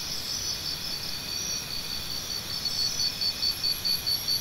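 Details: Crickets calling: a steady high, shimmering insect drone runs throughout, and from about midway a louder cricket joins with short, bright chirps repeated evenly, roughly two or three per second, until the end.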